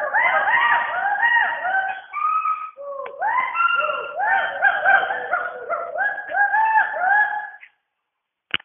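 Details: Chorus of Western hoolock gibbons in the rainforest canopy of Dampa Tiger Reserve, Mizoram, India, with dense, overlapping arched whooping notes repeated quickly for about eight seconds, then silence and a single short click.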